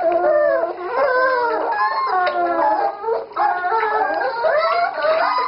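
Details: Dachshund puppy howling during a bath, drawn-out wavering cries that rise and fall in pitch, one after another with short breaks, with music playing behind.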